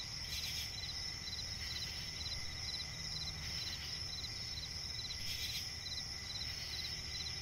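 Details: Nocturnal cricket chorus from a forest swamp: shrill continuous ringing plus fast, regularly repeated chirp pulses, two sharp hissing bursts several seconds apart, and a steady low rumble beneath.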